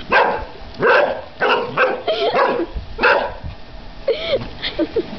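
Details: One-year-old Airedale Terrier barking at bubbles on his birthday. Loud, irregular barks come in bursts, with a few higher yipping notes near the end and a voice talking quietly underneath.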